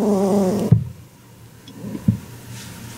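A pet rabbit gives a low, wavering, buzzy grunt of annoyance, followed by dull thuds.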